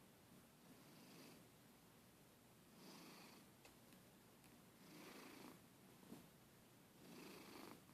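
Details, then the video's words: Pet cat, a really loud snorer, asleep indoors: slow rhythmic snoring, a soft raspy breath roughly every two seconds, faint and breathy against a hissy background. "My Cat Snoring"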